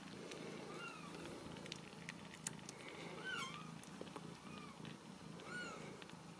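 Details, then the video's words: Ragdoll kittens in a central Kansas home cattery, kept without cages; a steady low rumbling purr runs underneath, while gentle arched mews surface now and then, about every second or two, alongside small clicks and rustles. "Ragdoll Kittens"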